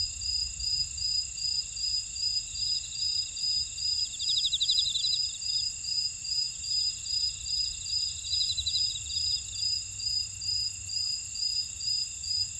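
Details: Insects in a buckwheat field at Ora-dong, Jeju City, on volcanic Jeju Island, South Korea: steady high pulsing chirps repeated about twice a second over continuous shrill buzzing, with brief trilled bursts mixed in.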